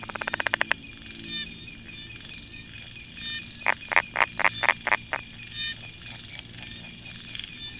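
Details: Brown tree frog (Polypedates megacephalus) at a rice field near Chiang Mai, Thailand: quick series of sharp clicking notes, a fast run at the start then a slower burst of about eight knocks, over steady insect hum and rain-like hiss.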